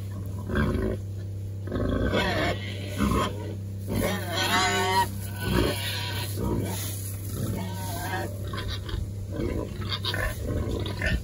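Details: Several Berkshire pigs, sprayed for external parasites and rolling around with pleasure, grunt in short bursts about every two seconds, with one longer, higher squeal near the middle, over a continuous low hum.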